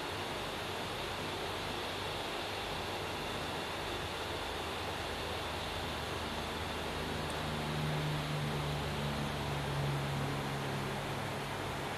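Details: Steady broadband hiss with a low hum fills the recording, and no animal voice is heard.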